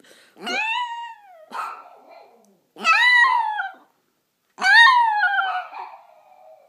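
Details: Five-year-old pet Chihuahua indoors, singing along when people sing or music plays: three drawn-out howls, each rising and then sliding down, with pauses between and a faint scuffle in the middle.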